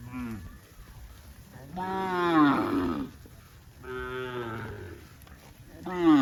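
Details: Cows in green grass rice fields on a cattle farm mooing repeatedly; three loud, rich harmonic moos each lasting over a second, rising then sliding down, separated by quieter gaps.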